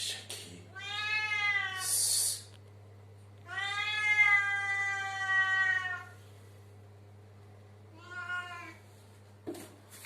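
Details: Domestic cat indoors in a bathroom, giving long drawn-out meows: three harmonic-rich calls, the middle one longest at over two seconds, with a short hiss-like noise burst after the first; steady low hum throughout.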